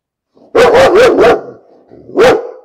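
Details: Dog barking: a quick run of four sharp, mid-pitched barks, a short pause, then one more bark. No other sounds.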